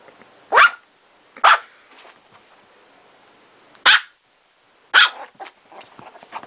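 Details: Pet Chihuahua, a female, lets out four sharp, high barks at uneven intervals, two close together early, then a pause before two more, with faint shuffling between them.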